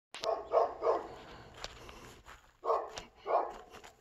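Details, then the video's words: Dog barking in Volcano on July 7, 2022: a quick pair of barks, a third, then two more after a pause, with low background rumble. "Barking dog"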